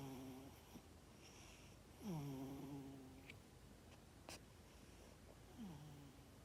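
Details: Sleeping cat's snores in a quiet room, rough nasal breaths with a sliding low tone, one loud snore near the middle and a softer one toward the end, plus small clicks.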